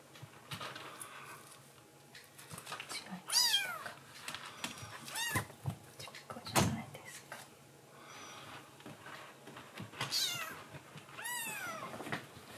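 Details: Rescued black-and-white baby kitten in foster care, awake at night, calling to its mother after drinking milk; four short arched mews, each rising then falling, spread across the stretch, with quiet indoor rustling and bumps between.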